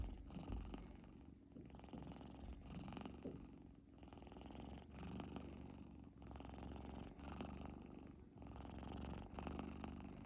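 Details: Kittens deep asleep, snoring: soft, raspy breaths swell and fade in regular cycles roughly every one and a half to two seconds over a steady low rumbling purr.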